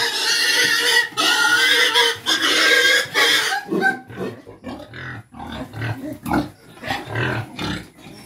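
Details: Native pigs on a Philippine farm giving loud, harsh squeals in rapid bursts for about four seconds, then shorter grunts mixed with a man talking in Filipino.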